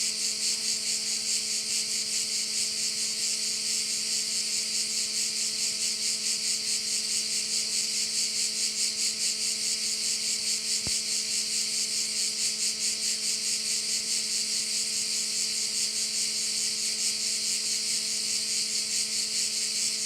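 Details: Crickets chorusing over a bay on Korčula, Croatia: a dense, high, hissing buzz that pulses steadily about two to three times a second without pause, over a faint, even low mechanical hum.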